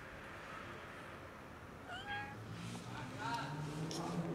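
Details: An unwell domestic cat that cannot eat, rolling about, gives a few short, soft meows near the middle, with a second faint mew shortly after. Quiet room noise and a low hum sit underneath.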